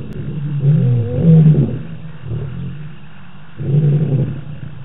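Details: Lions heard at night on the Djuma live cam in the African bush, 25 March 2018; two low, rumbling roar bursts separated by a quiet gap, deep and somewhat muffled.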